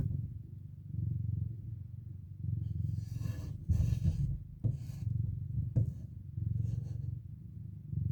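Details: Mother cat purring beside her four waking kittens. A low, pulsing purr rises and falls evenly, with rustling and soft scuffing noises from movement in the middle.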